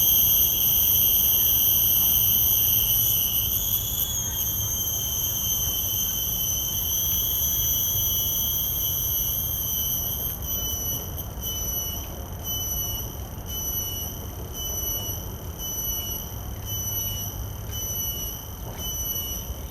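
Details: Common cicada calling in a field recording made simultaneously with Sennheiser 416 and Deity S Mic-2 shotgun microphones on a Zoom F3: a steady high whine with bright overtones, stepping slightly in pitch after about four seconds, later faintly pulsing, over low rumble.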